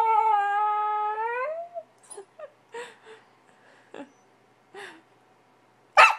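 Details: Frustrated puppy wanting back outside to play after a potty trip: a long steady harmonic whine that bends upward, followed by scattered short whimpers, soft yips and a final sharp knock.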